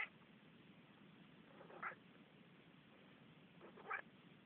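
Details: Manx cat talking with two brief meows about two seconds apart, each a short rising-then-falling cry, over a steady low background hum.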